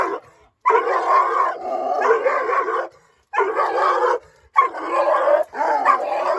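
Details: Nine-month-old female Dogo Argentino barking aggressively at strangers: long, rough bouts of deep, growling barks, each about two seconds long and run together, broken by short silent pauses.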